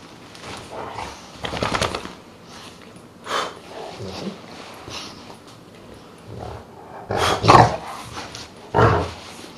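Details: Pet dog, three-quarters Dogue de Bordeaux and one-quarter Rottweiler, giving several short, rough, throaty bursts of growling and low barking, spaced irregularly and loudest toward the end, with quiet gaps between.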